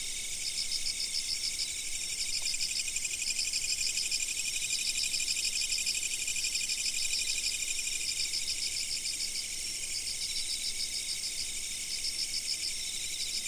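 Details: Insects recorded by a fixed camera: a dense high chorus of chirping, with trains of rapid pulses repeated in regular bursts about two per second over a steady shrill background hum.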